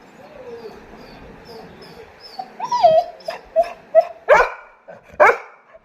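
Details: Labrador Retriever at home, wanting to sleep in the air-conditioned room: soft high whimpers, then rising whiny yelps and two sharp barks, with a woman speaking Tamil nearby.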